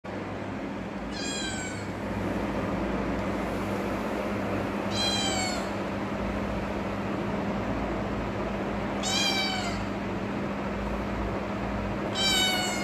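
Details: Persian cat, a kitten, asking for help: four drawn-out, slightly falling meows spaced about four seconds apart, each rich in stacked harmonics, over a steady low hum.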